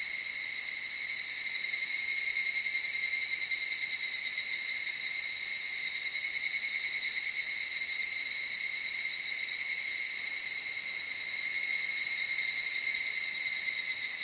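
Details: Evening cicadas in the cedar forests of the Okutama area, Tokyo, Japan, near mountain streams at dawn or dusk, with a soft voice: a steady, shrill, high insect chorus with rhythmic pulsing swells around two and eleven seconds.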